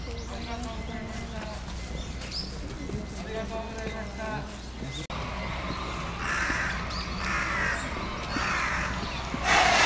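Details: Giant panda Tan Tan at Oji Zoo on 19 January 2021, excited by falling snow, standing up and scratching, calling for a while: nasal harmonic bleats repeated over the first half, then louder rough noisy bursts.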